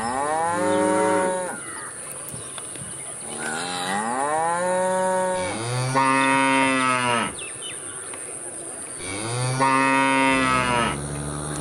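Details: Repeated loud cow moos, several long bellowing calls that swell and then drop in pitch, about every two to three seconds, over a continuous high hiss.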